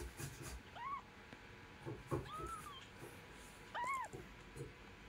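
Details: Mother cat and kitten together: three clear, bowed meows, each rising then falling, spaced roughly one and a half seconds apart, over low rumbling and a few soft knocks.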